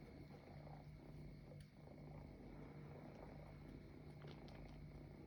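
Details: Kittens treating a couch as their mother, purring softly; a low steady rumbling hum runs throughout with faint background noise.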